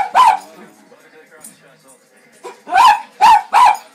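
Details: Cairn Terrier, a pet dog that watches animal programmes on TV, giving short sharp barks: one near the start, then a quick run of three close together at the end, with a soft murmur and faint background noise between.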